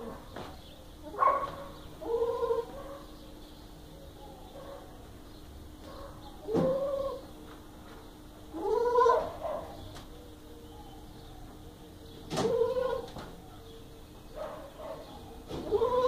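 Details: Purebred Boer goat doelings, six to ten months old, in Puebla, Mexico, bleating repeatedly: wavering, harmonic-rich calls every two to three seconds, some rising then falling, with quieter bleats between and a low steady hum beneath.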